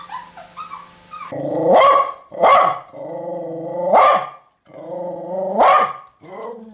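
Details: Dog growling low and rough between deep, explosive barks; the barks come roughly every second in uneven groups, with a faint high whine heard at the very start.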